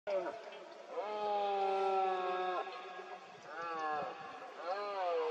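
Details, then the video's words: Red deer stag roaring during the 2022 rut (berrea) in Cantabria, Spain, amid fog: a long, steady, hoarse harmonic bellow, then two shorter roars that rise and fall. "BERREA 2022 EN CANTABRIA: VENADO ENTRE LAS NIEBLAS."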